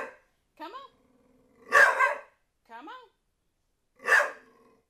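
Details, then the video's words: NuNu, a pet dog, barks at a soccer ball during play; two sharp loud barks spaced about two seconds apart, interleaved with a woman's high, sing-song speech. "NuNu Chasing Soccer Ball and barking"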